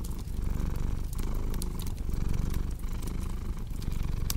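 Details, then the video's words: Purring cat giving a dense, low rumble with brief dips between breaths, while a fire crackles with bright pops in the background. "Purring Cat with Cozy Crackling Fireplace Sound"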